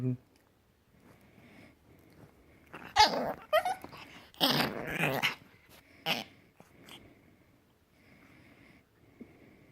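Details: Puppy making weird noises: rough, noisy growling bursts in short clusters over several seconds, with quiet gaps and faint background hum between them.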